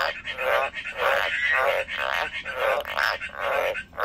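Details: A kept frog croaking in rapid, buzzy pulsed bursts of about half a second, four or five in a row with short gaps, set in a quiet indoor space.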